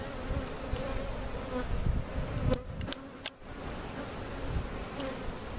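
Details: Honey bees removed with their comb from a cutout hive, being placed in their permanent location at Jerome Bee Farm in Central Oklahoma; a steady low droning buzz and hum fills the clip, broken midway by a few sharp clicks.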